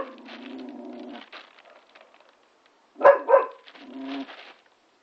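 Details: Labrador cross Staffordshire Bull Terrier puppy playing with a trampoline; a drawn-out whine, a pause, then two sharp yappy barks in quick succession and another short whine.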